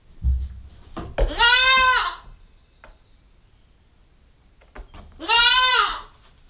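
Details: Nine-week-old female Nubian goat kid, captured by a GoPro stakeout camera: two loud, nasal, slightly wavering bleats about four seconds apart, each under a second long, the first preceded by knocks and rustling.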